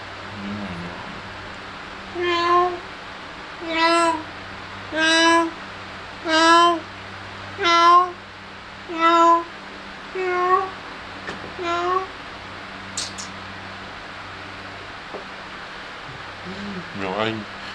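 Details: Kittens playing and feeding indoors give a series of about eight clear, harmonic meows, each short and slightly falling, spaced roughly every one and a half seconds, with a steady low hum behind them and a brief high click near the end.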